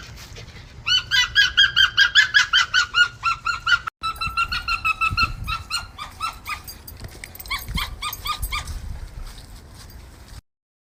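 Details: Arctic fox. An Arctic fox barks in a long, rapid series of shrill, nasal yaps, each one brief and sharp. After a short break the barking picks up again, slightly softer and more uneven toward the end.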